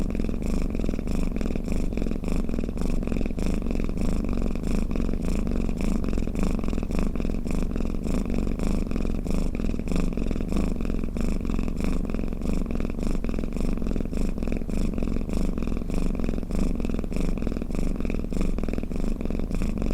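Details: Steady cat snoring, a dense throbbing low rumble that never stops, evenly loud, with a fine fast vibration and slow breathing rhythm.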